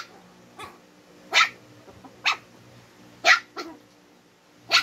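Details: A pair of twin Shih Tzus squabbling, with only scattered single barks here, about five sharp yaps spaced a second or more apart over a quiet background.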